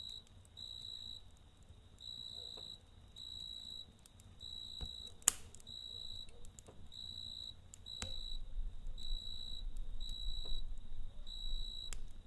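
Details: Cricket chirping at night beside a campfire: steady high, ringing trills in short bursts of about half a second, repeated roughly every second, with crackling fire pops, one sharp snap and a low background rumble.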